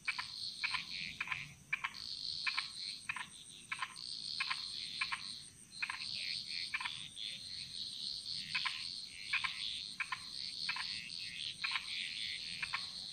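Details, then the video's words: Frogs singing in chorus in the jungles of Bali, Indonesia: short vertical clicking croaks repeated in quick irregular bursts over a steady high insect-like whine, several callers overlapping. "Frog Mantras - Relaxing Sounds Of Bali"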